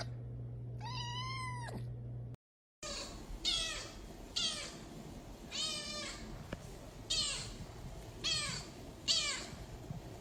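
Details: Kittens meowing: one long wavering meow, then a run of six short, bright, slightly rising-falling mews spaced under a second apart, with a rustling, noisy background.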